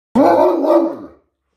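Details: Great Dane puppy showing jealousy and giving sass, letting out one loud, drawn-out bark-howl about a second long that wavers slightly before fading.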